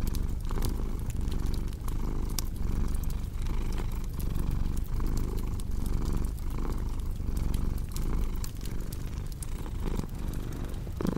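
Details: Low, buzzing purr from a pet cat, rising and falling in steady cycles with each breath, accompanied by scattered snapping crackles of a fire in a fireplace.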